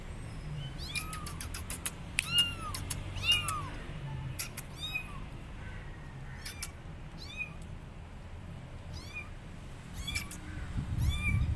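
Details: Abandoned kittens sitting on a gate meow loudly for their mother: a rapid series of high, bowed cries, several overlapping early on, then spaced-out calls over faint background noise.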